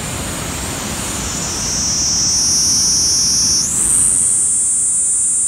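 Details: A Kaempfer cicada at Sogi Falls, Kagoshima, at 12:49 on 13 July 2020, gives a steady, high, hissing drone that jumps slightly higher in pitch partway through.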